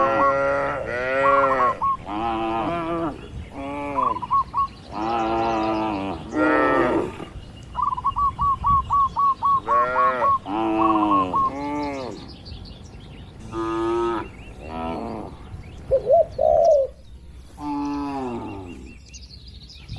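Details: Dozens of cows resting and moving in a spacious barn on a traditional livestock farm; frequent overlapping moos early on, thinning to fewer, quieter calls later, with a long run of rapid chirps in the middle.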